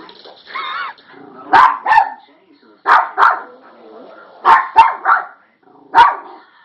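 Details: Toy poodle indoors, seemingly startled and playing with an object, giving about eight short, sharp yips and barks in small clusters, often in pairs, while a woman talks to it between the barks.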